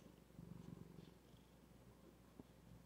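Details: Zephy, a female pet cat, purring softly: a low, steady rumbling throb with gentle pulsing swells, quiet throughout with a faint click near the end.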